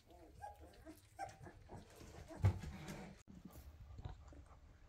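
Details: Weimaraner puppies, 2.5 weeks old with newly opened eyes, chasing their mother and asking to nurse; a few short, thin whimpers rise above a low indoor rumble, with a soft thump midway.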